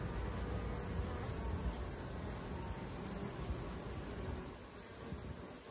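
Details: Massed honey bee buzzing around urban beehives in Ontario, recorded in 2024: a thick, deep, continuous drone of many insects, rough and throbbing, with a thin high whine running faintly above.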